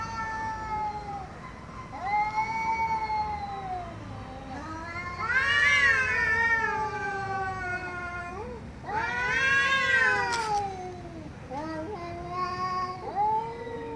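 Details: Angry domestic cat caterwauling loudly: sustained, wavering harmonic yowls that swell into harsh, strained peaks and bend up and down, several long calls running almost without pause.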